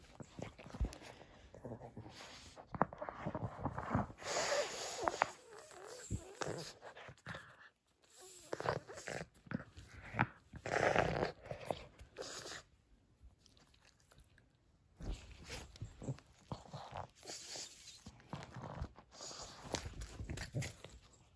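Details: Nova, a female pug, playing with her crinkle toy indoors: heavy wheezy snorting breaths in bursts broken by short quiet gaps, mixed with loud crinkly rustling of the toy.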